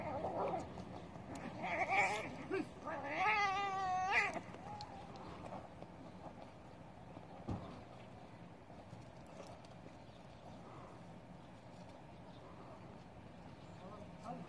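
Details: Cats locked in a fierce fight. Short harsh cries come first, then a loud wavering caterwaul that wobbles up and down for about a second. The rest is quieter background noise.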